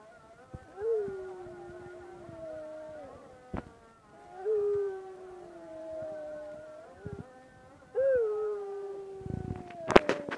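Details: Dog howling as the call to prayer is recited in Çiçeklidere: three drawn-out howls about four seconds apart, each rising sharply at the start and easing into a long, slowly falling note. Clicks and rustling close the sequence.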